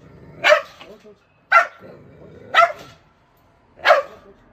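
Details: Aggressive Jindo dog, a rescued stray known for biting, barking at a shelter in Ulsan, South Korea: four loud, sharp barks about one second apart, with faint voices in the background.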